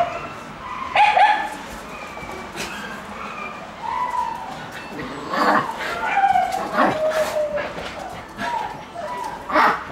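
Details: Playful Shiba Inu puppy romping inside a room in morning sun, repeatedly yapping and whining in short tonal bursts, some sliding slightly, scattered irregularly across ten seconds with quieter rustling and thumps in between.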